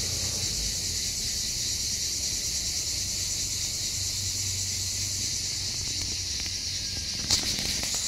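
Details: Summer chorus of Hellenic cicada on Skiathos, Greece, insects that sing almost all day long; an unbroken shrill hiss-like buzz fills the air, with one brief click near the end and low background rumble.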